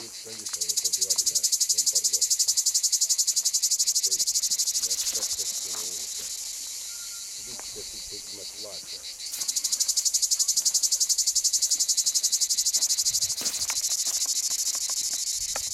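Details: Cicadas recorded in Puglia, Italy, in 2011 give a high, grating, rapidly pulsed buzz that stays loud, dips for several seconds, then surges back, with faint background knocks.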